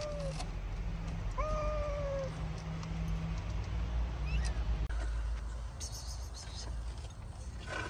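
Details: Kittens trapped under rubble with their mother cat, who has a wound on her forehead. Thin, high mews: a brief cry, then two longer, slightly falling calls, over a steady low hum and background noise.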